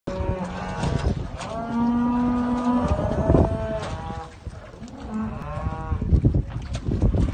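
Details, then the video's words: Hereford cross cows mooing: several drawn-out, tonal moos with rich harmonics, some steady and some wavering, overlapping from different animals, with low rumbling background noise throughout. "Hereford x cows"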